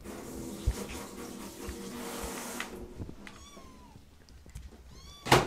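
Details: Rescued foster kittens meowing for food at a person's feet while a meal is made indoors; after kitchen clatter, one clear thin meow sounds midway, followed by a fainter cry and a sharp knock at the end.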